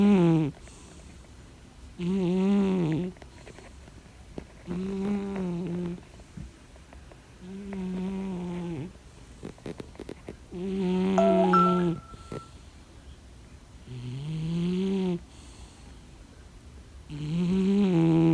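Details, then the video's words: Sleeping domestic cat snoring deeply indoors: low, harmonic, rasping breaths, each lasting about a second and recurring roughly every two to three seconds, seven snores in all, with a faint tick partway through. "A Cat Snores"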